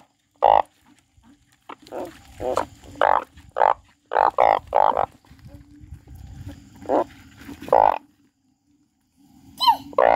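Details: Crying frog giving irregular bursts of nasal, harmonic croaks, some clustered in quick pairs and triplets, with softer buzzy notes and a pause of near silence before a final high call.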